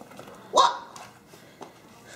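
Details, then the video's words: Five-week-old puppies, just turned five weeks that morning, being greeted; one short high puppy yip stands out amid quiet room noise, followed by a faint second squeak. "Leti Pups 5 Weeks Old"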